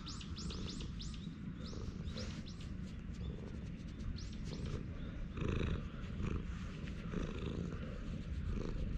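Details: Stray cat lounging on a bench purrs happily while being stroked, recorded on a GoPro HERO8: a steady, low, rumbling purr runs throughout, with bright, arching chirps of small birds above it in the first seconds.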